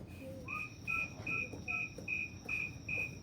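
A snowy tree cricket gives short, pure, high chirps repeated steadily about two or three times a second.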